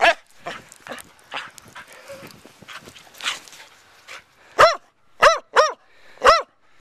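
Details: A Corgador (Corgi-Labrador mix) dog that loves snow gives four sharp, high, ringing barks about half a second apart, recorded January 10, 2011.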